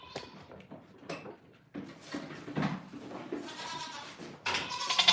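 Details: Farm goats in the morning: a brief bleat at the start, then shuffling, thumps and rustling, ending in a strained, wavering bleat over background clatter.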